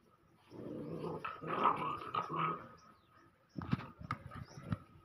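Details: Male Pointer puppy in India growling in low, rough bursts for about three seconds, broken by a short pause, then a few sharper gruff growls and snorts.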